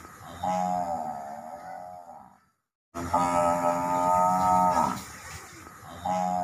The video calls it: ম‌হি‌ষের ডাক l Buffalo sound effect l Mohisher Dak l